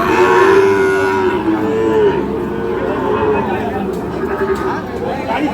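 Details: At the Ambari market in Parbatipur, Dinajpur, on 30 March, Sahiwal bull calves are offered for sale. One steady, level moo lasts about two seconds at the start, then fades into crowd chatter and bargaining voices.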